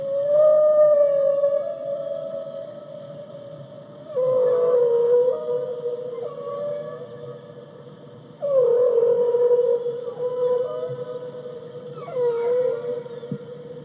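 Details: Whale singing in long, steady tonal moans with bright overtones, each held for several seconds, then dropping slightly in pitch and swelling again every four seconds or so, with a faint low rumble underneath.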